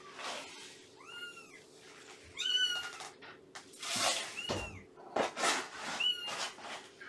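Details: Morning at a foster home for Shelby, a two-year-old cat once abandoned before giving birth, and her three-month-old kittens from Purrfect Pals. Sharp, high mews repeat every second or so between bursts of rustling and knocking noises.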